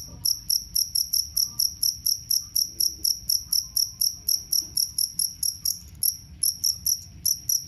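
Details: Two-spotted cricket (jangkrik kalung), promoted as a rat repellent and songbird master; piercing chirps repeat briskly and evenly, a brief hitch near the end, with faint low murmurs and soft tones in the background.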